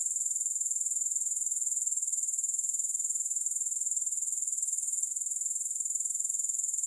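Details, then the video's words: Grasshoppers trilling continuously, no music: bright, very high buzzing shimmer with a regular pulse near four beats a second, slightly uneven in places, nothing else audible. "Grass Hopper Sounds"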